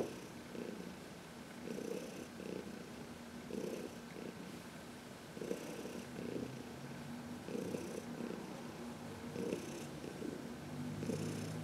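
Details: Senior cat Heidi, 14, once a long-term Humane Society of New York City resident, rumbles a low purr during a massage in the sun, March 19, 2021, with pulsing breath cycles about every two seconds.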